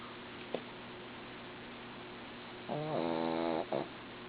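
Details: A dozing female dog gives one coarse buzzy snore of about a second, ending in a brief catch, after a faint click and quiet background hum.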